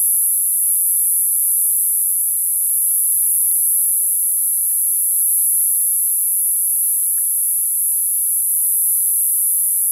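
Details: A chorus of summer cicadas keeps up an intense, sizzling, high whine at constant loudness, with a few soft ticks in the background.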